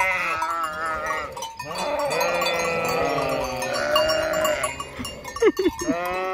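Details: Sheep flock beside the vacant Hotel Fürigen, bleating in overlapping, quavering calls that run almost continuously, with a few sharp rising bleats toward the end and light bell clinking mixed in.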